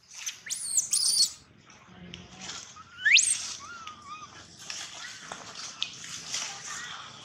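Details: A baby monkey cries loudly for a long time in thin, high squeals and rising whistled wails, broken by brief pauses.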